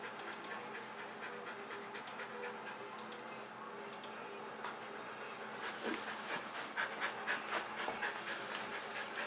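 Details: Kerry Blue Terrier named Leroy, a pet dog wanting to play, panting with breathy, noisy puffs that grow louder and quicker toward the end, about two per second, indoors.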